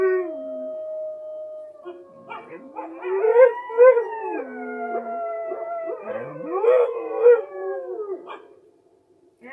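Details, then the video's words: A Siberian husky howls in long, wavering tones in response to wolves howling in a video playing on TV, the wolf howls overlapping its voice. "Husky howling to wolves on tv"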